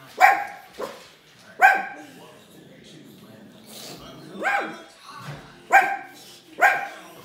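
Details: A pug gives sharp, high barks in irregular bursts at a CGI lion on television from The Lion King, with faint television sound behind.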